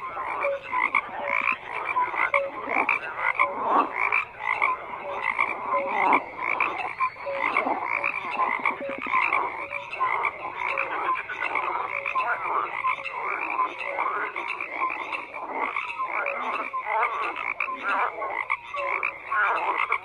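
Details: Croaking frogs fill a dense, unbroken chorus: rapid rasping pulses from numerous animals overlapping throughout, with occasional brief tonal notes.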